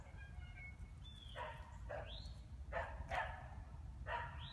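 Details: A squirrel sitting in a tree gives harsh, barking screams like "kuk kuk kuk – quaa", several short bursts with a few rising squeals.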